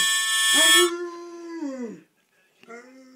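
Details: Landseer Newfoundland dog at home, howling along to a mouth organ: one long, steady, tonal howl that slides downward at the end, preceded by a loud note from the instrument, then a brief pause and the start of another howl.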